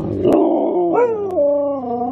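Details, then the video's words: Loud watch dogs howling in a sustained, wavering cry built of stacked tones that swoops upward near the middle, then settles into a long, steady, slightly falling note, with a couple of sharp clicks in the background. "Loud watch dogs"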